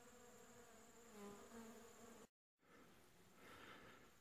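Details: Honey bees foraging for pollen on a flowering shrub near hives during winter, late July 2015: steady droning buzz with shifting harmonic hums, a brief silent gap midway, then a broader diffuse buzz.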